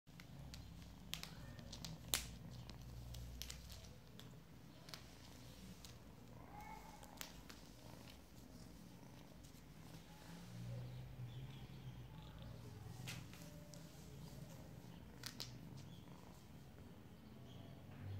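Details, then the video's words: Relaxed cat purring steadily and softly in a low, continuous rumble, with occasional faint clicks and rustles throughout. "kityy relaxing"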